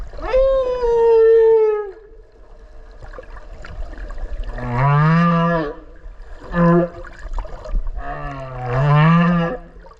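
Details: Whale calling underwater off Okinawa, recorded up close while swimming alongside it: a long, steady, richly harmonic tone bending downward for two seconds, then deeper rising moans and a short grunt in turn, over a faint watery hiss.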